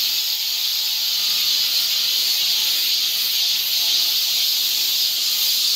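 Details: A cicada chorus fills a Korean summer forest in Seoul with a steady piercing buzz, unbroken and level, and a faint low tonal hum sits beneath it.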